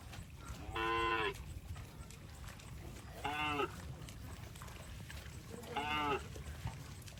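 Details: Cows crossing water in rice fields; three drawn-out, nasal moos, each about half a second, spaced roughly every two and a half seconds over a low steady background rumble.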